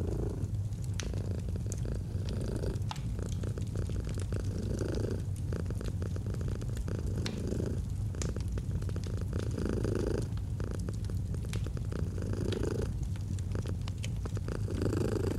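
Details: Purring domestic cat with a crackling fireplace, autumn ambience: deep continuous rumble swelling and easing with each breath roughly every two seconds, while scattered snaps and pops of burning wood sound throughout.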